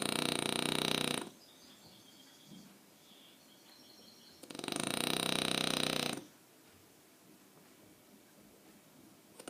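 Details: Aquiles, a French Bulldog, snoring: two loud, rattling, buzzy snores of about one and a half seconds each, the second following a quiet pause of roughly three seconds, with soft breathing between them.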